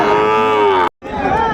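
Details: Sahiwal bull sold at Raniganj cattle market, Dinajpur district, Bangladesh, Monday 6 January 2025: a loud, steady, deep moo held almost a second, a brief break, then a second rising low, with faint market chatter behind.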